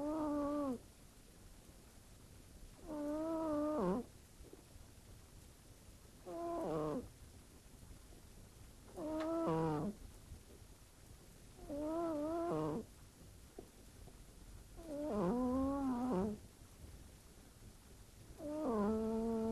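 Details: Pet cat sleeping indoors in a bedroom, snoring like a human: drawn-out harmonic, slightly wavering tones recurring about every three seconds, quiet between breaths.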